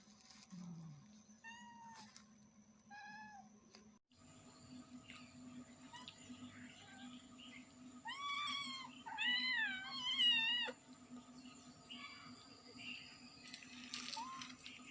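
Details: Kittens and their mother cat meowing loudly: a few short mews early, then a burst of high, wavering, rising-and-falling kitten cries around the middle, with a steady electrical hum beneath.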